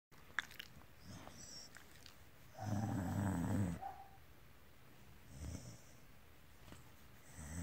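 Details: Pet dog making a soft, low, rumbling purr-like snore, with a louder rough burst of about a second in the middle and quieter breathy rumbles around it indoors.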